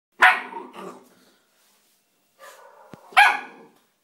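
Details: Three-month-old Bull Terrier puppy playing with a rock gives two sharp barks, a pause, then a softer, lower bark followed by a loud, bright yap.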